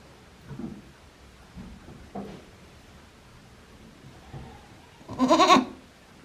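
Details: Day-old baby goats of Hikari, Yoshigake handmade goat farm, Japan, 17 April 2024; soft low murmurs and small bumps lead to one loud, trembling bleat near the end.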